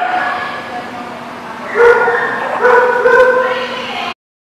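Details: Dog at The Barking Lot on 6/17/19: a low, steady murmur gives way to two louder, drawn-out harmonic barks, a little under a second each, before an abrupt cutoff.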